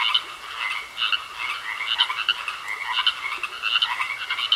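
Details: Frogs croaking in a pond: a dense chorus of short, overlapping raspy croaks bursting roughly once a second, over a steady high-pitched whine that runs through the whole recording.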